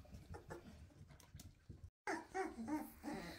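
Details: Weimaraner puppies, 2.5 weeks old with newly opened eyes, running after their mother indoors and asking to nurse: soft rhythmic whimpers, then high, wavering whines after a short gap.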